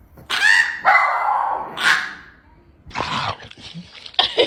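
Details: Dogs with unusual, funny barks: a run of strained, howling woo-like yelps with rising and falling harmonic tones, then broken bursts of vocalising, while a person calls hello and come on in the background.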